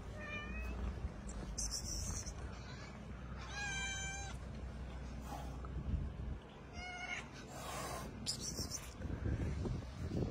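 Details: Street cats, a mother cat with her kittens, outdoors: a series of high, thin meows with clear harmonic bands comes in five short bursts spread through the stretch, over steady low background rumble.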